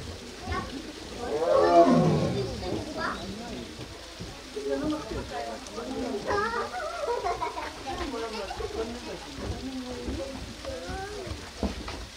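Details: A tiger at the tiger forest of Baekdudaegan National Arboretum, Bonghwa, South Korea, gives a single deep, rasping roar that swells and fades during water play on 13 May 2023, followed by people chatting nearby.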